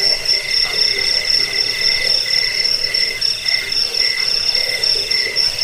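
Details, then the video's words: Cricket sound used against rats, for sleep and for teaching birds song: fast trilled chirps, around four pulses a second, ringing high and constant with faint low murmurs beneath. "Suara jangkik pengusir tikus pengantar tidur"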